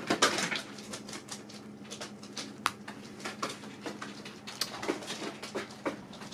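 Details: Several pet guinea pigs munching dried apples indoors, a dense, steady stream of dry crackling crunches and clicks throughout, with no pauses, over a low steady hum.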